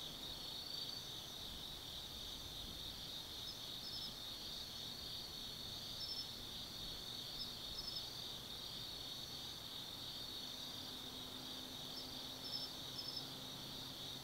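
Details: Autumn night insects in the woods of Tsukimi no Mori, Gifu Prefecture, Japan, heard from a 180 m high viewpoint: unbroken high-pitched ringing trills, scattered brief chirp bursts, and a faint low steady drone in the background.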